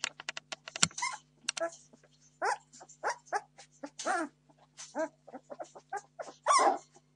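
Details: Entlebucher Mountain Dog puppies at 17 days old, Torfheide D litter, clamoring for food: quick clicks and a sharp knock early, then a stream of wavering whines and squeals, ending in one loud drawn-out cry.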